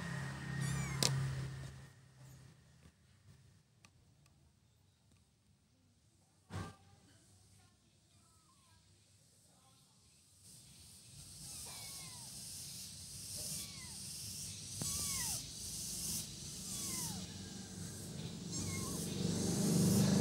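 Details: Javanese kittens being trained to go outside for the first time: a run of thin, high meows, each rising then falling, repeated roughly once a second for several seconds, over strong hiss-like outdoor background noise and occasional thumps.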